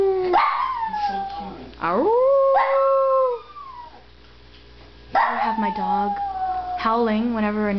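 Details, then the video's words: Pet Papillon dog howling in response to ambulance sirens: drawn-out, tonal wails sliding downward, several separate howls with a short quiet gap midway, while a woman talks to the dog over them. "Papillion Dog howling like a Wolf"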